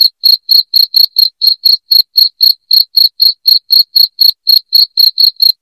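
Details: Shrill cricket chirps, loud enough to scare off household rats, come in an unbroken even series, about four bursts each second, every chirp bright and high-pitched, no other sound present.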